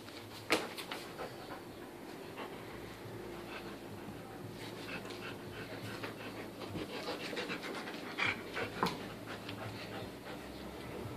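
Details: English Cream Golden Retriever puppy, 11 months old, tossing around a leopard stuffed toy; soft rapid panting breaths with scattered thumps and rustles of play throughout.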